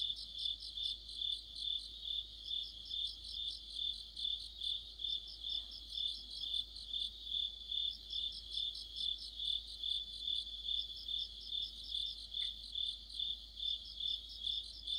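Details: Crickets and other insects chorusing in deep autumn near a streetlamp: a steady band of high trilled pulses swelling and fading about twice a second, with several overlapping callers and layered higher chirps.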